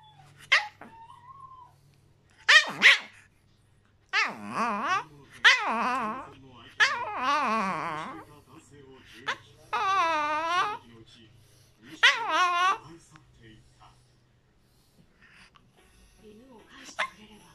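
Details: A pet Chihuahua indoors, pleading for something and perhaps wanting to be held, gives a series of about eight wavering, whiny, yodel-like cries. Some rise and fall, and they come in bursts separated by short silences.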